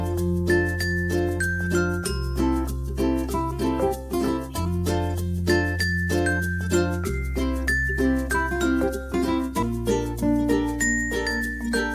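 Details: Gentle chiming, glassy music box melody over sustained low chords, with no animal sounds present.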